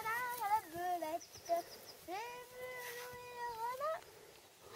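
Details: Azad, a two-day-old Shagya foal with a troubled left hind leg, cries in high, harmonic-rich calls: a quick wavering run of short notes, then one long steady cry that bends upward at its close, with faint voices nearby.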